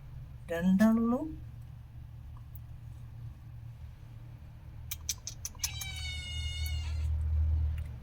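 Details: Cat that hid her kittens: one wavering, drawn-out meow, then a stretch of low background hum. A run of thin, high, repeated chirping mews follows over a woman's voice.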